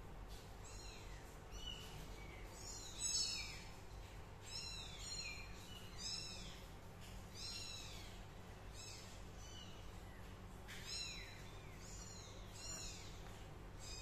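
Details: Young cat named Min, a kitten: high, thin meows that slide downward, given in irregular bursts roughly every one to two seconds over steady low background hum.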